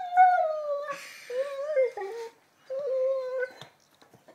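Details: Lenny, an 11-month-old Labrador Retriever, vocalizing indoors while playing with a new ball on a speak cue: drawn-out, tonal whining howls that slide downward, two long phrases separated by a brief pause, with a short rustle and a woman's voice nearby.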